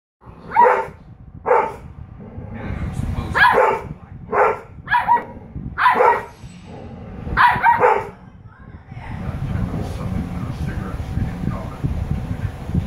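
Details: Female Husky puppy talking to her older sister: a run of about eight short, harmonic, bark-like yowls within eight seconds, some paired, over a steady low rumble that continues after the calls stop.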